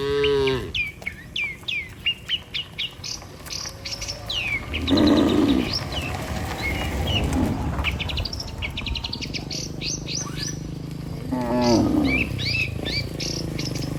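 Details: Dozens of tame cattle walking home together to the barn after a day on open pasture; a few drawn-out, low harmonic moos rise over the herd while small birds chirp and twitter busily throughout.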